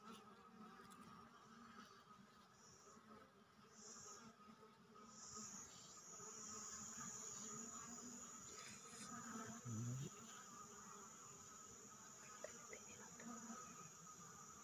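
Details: Honey bees at a hive in Periyar Tiger Reserve, Thekkady, while a man puts his hand into the beehive; a continuous low droning hum with shifting buzzy tones and a few brief louder bursts.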